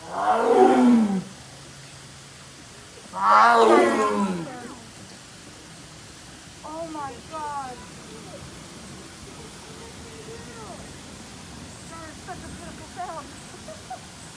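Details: Tiger at a zoo giving two loud, harsh roaring calls in the first five seconds, each about a second long, followed by quieter, softer vocal bursts and low background noise.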